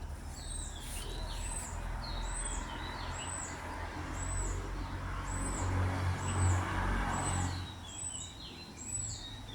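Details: Lost baby squirrel crying for its absent mother near a road: a steady series of about ten shrill chirps, each high note followed by a lower squeak, repeating under continuous traffic rumble that swells midway.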